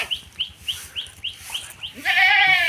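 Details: Goat at a village home in rural Bangladesh, having strayed onto another's grass; a brief, loud, wavering bleat rich in harmonics closes the clip, after a run of evenly spaced high bird chirps about three per second.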